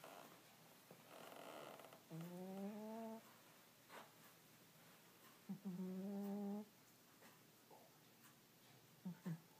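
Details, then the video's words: Sleeping cat Earl snoring steadily: two rising, reedy tonal snores roughly a second long and about three and a half seconds apart, with a brief third starting at the end, faint room hiss between. "Earl snoring"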